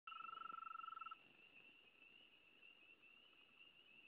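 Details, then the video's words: Frogs calling at a site: a fast, evenly pulsed mid-pitched trill lasting about one second, then stopping, leaving a steady higher, faintly wavering chorus throughout. "Sonido de rana"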